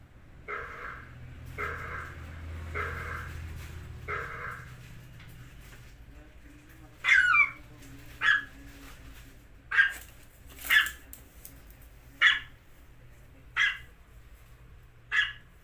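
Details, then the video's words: Dog making funny sounds; four muffled, low woofs in the first four seconds over a rumble, then a yelping squeal followed by a series of sharp, high barks spaced one to two seconds apart. "dog funny sound"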